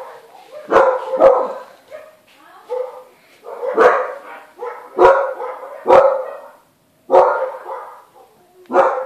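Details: Newly born Siberian Husky puppies cry in a run of short, sharp yelps and squeaky whimpers, roughly one every second, mixed with softer whining between the louder bursts.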